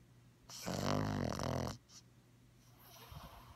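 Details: Ladybug the Bugg puppy, asleep with open eyes and tongue hanging out, produces one long, loud, grating snore of about a second, then soft wheezy breathing.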